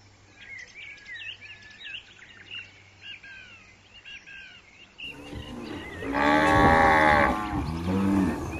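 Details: Cow grazing outdoors gives one loud, long, deep moo that swells and then fades. Small birds chirp rapidly just before it, and a low hum runs underneath.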